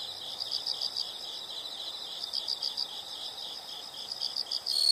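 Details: Rhythmic high-pitched insect chirps come in brief pulsed groups about every two seconds, quiet and steady, with a sudden louder high sound right at the end.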